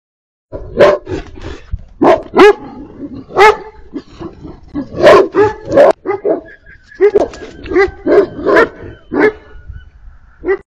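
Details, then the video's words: Livestock guardian dogs barking in response to high-pitched alpaca danger alerts signaling coyotes are near; loud, deep, irregular barks in bursts, roughly a dozen over ten seconds, several overlapping, with faint thin tonal calls between them. "Our livestock guardian dogs respond to high pitched alpaca danger alerts signaling coyotes are near"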